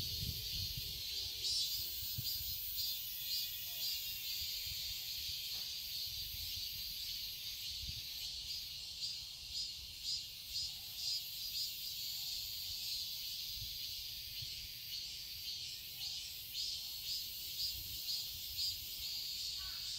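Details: Cicadas in a summer garden in Seoul, Korea: a loud sizzling drone with fast regular pulsing, a few low knocks and rustles near the start.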